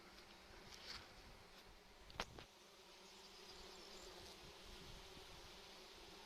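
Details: Buzzing of bees working phacelia flowers in June, with other pollinators about: a continuous low hum with faint overtones and a couple of short clicks or knocks, over an airy outdoor hiss.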